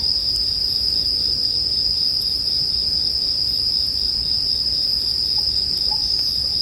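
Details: Unbroken high, bell-like insect drone of bell crickets set against crackling firewood, with scattered small pops and a soft low-frequency rumble underneath.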